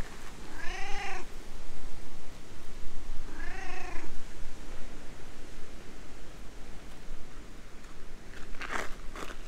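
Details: Stray cat talking in cat language, then happily climbing onto a lap after petting: two clear, harmonic meows about three seconds apart, followed by a sharp rustle or tap near the end.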